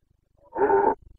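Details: Single short, rough roar of a Carpathian red deer stag in the Bucovina mountains of Romania during the September 2022 rut; a brief throaty blast with a faint low rumble after it.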